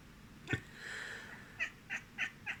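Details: Rosie the pet cat reacting to sneezing: a sharp click, then a drawn-out, level mewing tone followed by four short, evenly spaced chirping meows about a third of a second apart, indoors.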